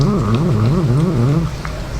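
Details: Pet male cat growling possessively over wet food while eating and being petted; a low, wavering, rumbling growl that rises and falls in pitch for about a second and a half, then fades into faint chewing noises.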